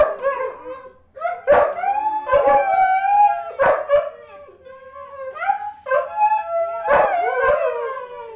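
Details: Several pet dogs howl together in a household choir, long wavering overlapping howls with rising and falling pitch, interrupted by short yips and barks in between.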